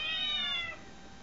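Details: A pet cat going after a cat it thinks is inside a phone gives a single drawn-out meow that slowly falls and fades.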